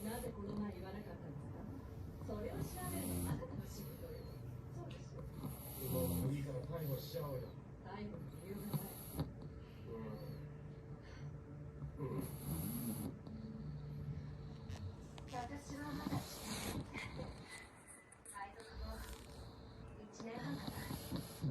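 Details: Momotaro, a short-nosed pug, breathes with a snoring sound. Rough, broadband snorting breaths swell and fade about every three seconds, with human voices talking throughout.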